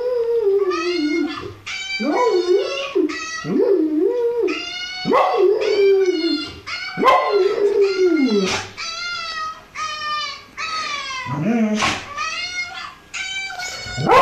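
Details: Pet dog responding to a puppy with a long run of whining, yelping calls, each rising then falling, rich in overtones, one after another almost without pause, some sliding cries longer and lower.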